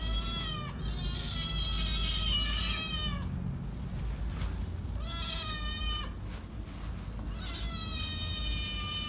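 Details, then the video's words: Loud hungry kittens crying in long, strained, quavering meows that slide downward, one nearly three seconds long, followed by two more drawn-out cries, with constant low background rumble. "Hungry Kittens making loud noise."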